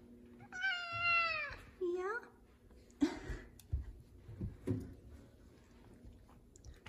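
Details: A male F2 Savannah cat, vocal and "talking" with his owner, apparently asking for chicken, gives a long, clear meow that slides downward, then a brief second mew.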